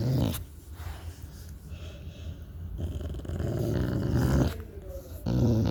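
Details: Deep, rough growling from a pet dog, Shelby or Cassie, starting loud, easing off, then building into a longer sustained rumble midway before a final strong burst; a person talks nearby.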